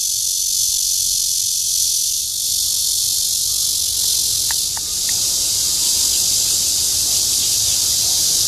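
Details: Red-veined bear cicada calling in courtship at Guangming Park, Yuanhua Road, Zhongli, Taiwan, on 28 June 2013: a loud, unbroken high hissing buzz holds steady throughout, with a few faint clicks midway.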